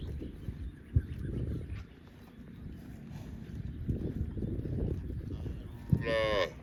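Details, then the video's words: Cow mooing: a long, deep, low moo fills most of the clip, with a couple of sharp knocks and a brief higher squeal near the end. "Cow sound video - Funny Cow Sound mooing"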